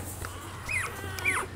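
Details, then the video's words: Rottweiler puppies nursing from their mother, Preta: two short, high, arched squeaks about half a second apart over a low steady hum. "amamentando filhotes de rottweiler"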